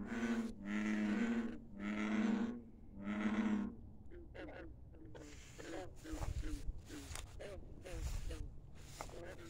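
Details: Frogs at night by a country pond: three long, deep, droning croaks in the first four seconds, then a steady scatter of shorter, clipped croaks from several frogs calling irregularly.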